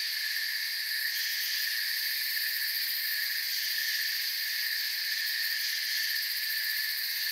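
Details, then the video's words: Forest crickets make an unbroken, even wall of high-pitched trilling, stacked in bright layers and steady in loudness throughout, with nothing else standing out. "Forest Sounds and Crickets"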